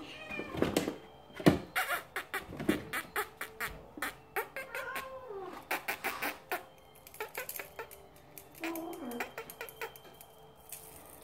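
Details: Cornish Rex kittens mewing twice, with brief arching meows between a dense run of clicks, knocks and rustling thumps.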